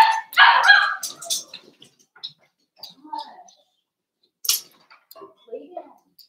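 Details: Three Cavalier King Charles Spaniel puppies, Cooper, Conner and Jenny, born 06/09/2022 with Ruby and Blenheim coats, overnight indoors; a burst of loud harmonic yelping barks in the first second and a half, then scattered softer yips and whimpers.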